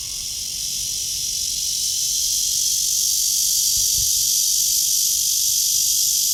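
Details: Cicada calling from a tree beneath blue sky, morning of 23 August 2020 at 9:27, taken on a walk; loud, unbroken shrill buzz holding steady throughout, with a brief soft thump near the middle.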